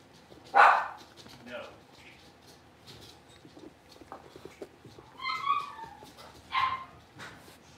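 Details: Blenheim Cavalier King Charles Spaniel puppies, a litter of five born at New Year's, moving into a bigger indoor puppy pen: one sharp loud yip early on, then quieter scattered whines and two short tonal whimpering cries near the end.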